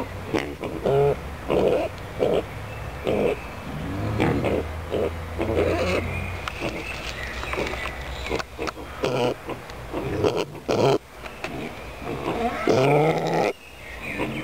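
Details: Pot-bellied pigs kept in the Stadtpark am Pöhlberg animal enclosure in Annaberg-Buchholz, Germany, making irregular low grunts and snorts, with a rising squeal near the end and faint background noise.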